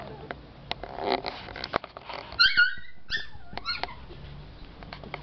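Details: Four-month-old male Lhasa Apso puppy from the Batangas area whimpering: a quick run of high, squeaky yelps with falling tails after a stretch of clattering knocks, then softer whines fading out.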